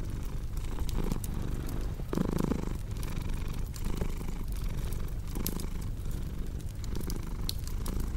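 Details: Low, continuous purring of a cat, its rumble rising and easing in slow breath cycles, with a brief brighter murmur near the middle and scattered crackling fire snaps on top.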